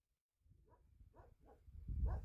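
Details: Bhote Kukur, the Himalayan sheepdog of Nepal, on a dog farm at Kali Pokhari village in eastern Nepal, above 3,000 meters near the India border: after a silent start, four short, low, gruff woofs follow one another, the last loudest.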